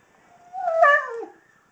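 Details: Kobi, a 16-year-old senior Husky, gives his nightly pre-dinner show: one drawn-out vocal howl that rises, wavers, then slides downward over about a second, clear and dominant in a quiet room.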